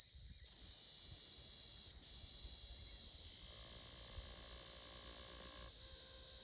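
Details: Cricket, locally called ratkida or jhingur, calling at night: a steady, continuous high-pitched trill holding without pause, with faint lower tonal hums joining in the second half.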